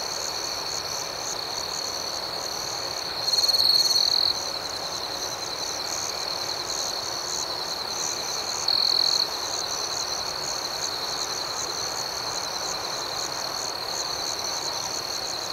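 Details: Nighttime cricket chorus, a constant high-pitched chirping backdrop with rhythmic pulses. A closer cricket breaks in with a brief louder trill at about three seconds and again near nine seconds.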